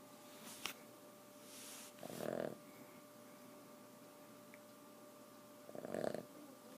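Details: Snoring Boston terrier in a quiet room, two rough breathy snore bursts about four seconds apart with a faint whistling tone inside each, a constant background hum and a brief click early on.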